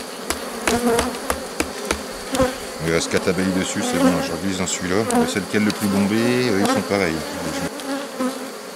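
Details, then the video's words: On 3 May 2021, a beekeeper rescues a drone-laying honey bee colony whose introduced cells were destroyed. Dense, wavering wingbeat hum rises and falls as bees fly close, with sharp knocks and frame clicks throughout. "Sauvetage ruche bourdonneuse"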